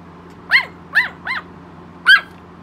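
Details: Rosie, a tiny 3 lb Yorkshire Terrier that follows her owner everywhere, yapping: four sharp, high yaps with rising-then-falling pitch, three in quick succession about half a second apart, then a pause and a fourth, over a faint steady hum.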